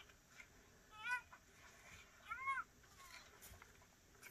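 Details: A fawn struggling to get milk from its mother calls out to her: two short, high, nasal bleats about one and a half seconds apart, over a quiet outdoor background.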